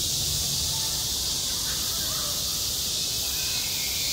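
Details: Cicadas calling in summer over a school sports ground, a steady piercing electric-sounding buzz, with a couple of faint brief tonal sounds and low rumble in the background.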